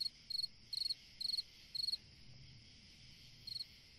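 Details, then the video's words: High, trilled chirps from a cricket on a summer night, several evenly spaced then a pause before one more, with faint low rumble and a steady high hiss in the background. "Chant d'un grillon dans une nuit d'été / Singing a cricket in a summer night"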